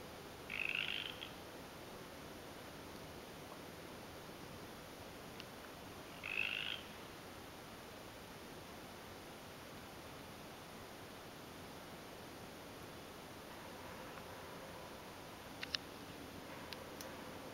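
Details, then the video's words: Two brief, high trilled calls from a tree frog, spaced several seconds apart over a steady hiss, recorded in winter in Canada on 12 February 2013. "Sound of Tree Frogs in Winter / Canada"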